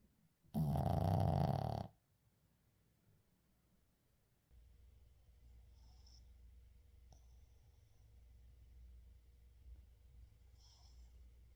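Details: Sleeping Shih Tzu called 의중 gives a single loud, broad snore lasting over a second, followed by a quiet low hum and soft breathing in a small room.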